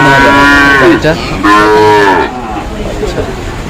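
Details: At a wet Manikganj, Bangladesh cattle market on the second day of Eid, where Sahiwal bulls are sold, two loud, rich moos follow one another within two seconds before fading into background murmur.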